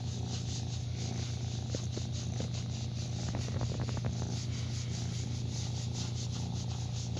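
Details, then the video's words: Lion, a foster kitten about 6 to 8 weeks old in New Brunswick, Canada, in care with Cat Rescue Maritimes, enjoying belly rubs in late September 2017; a steady low rumbling purr that pulses evenly, with faint soft rustles over the top. "Purry Foster Kitten Loves Belly Rubs Just Like His Momma Does"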